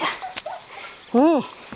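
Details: Seven-week-old Greenland Dog puppies from three litters playing together in the yard at Tinka's Kennel in June. A single short, arched, harmonic yelp rises and falls after faint scattered noises.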